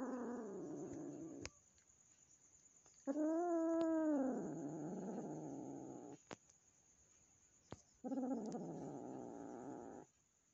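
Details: Newly adopted kitten, a gift from a friend, still fearful of the resident house cat: low rough growling bursts, then a rising-and-falling harmonic wail, and another long growl after a pause, with quiet gaps between.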